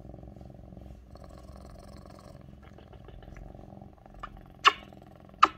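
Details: Mićo, a lynx point Siamese cat, purring loudly on a person's lap as she works; even low pulsed rumble with two sharp clicks near the end.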